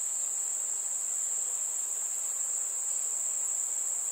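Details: A summer evening cricket song: one continuous piercing high-pitched trill, flat and unwavering, with only faint hiss below.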